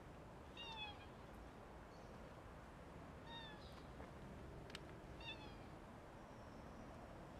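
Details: Outdoor stray tuxedo (hachiware) cat beckoning someone to follow; three brief thin meows roughly every two and a half seconds, faint against constant low rumble and hiss.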